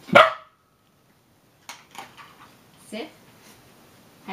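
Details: Meagle puppy, a female Miniature Pinscher and Beagle mix, barking on the command to speak while doing tricks indoors. One sharp, loud bark at the start, then quiet with a few faint, soft sounds.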